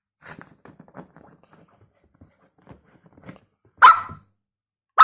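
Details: Toy poodle during a game of hide and seek: faint scuffling and soft low noises at first, then two loud sharp barks near the end, roughly a second apart.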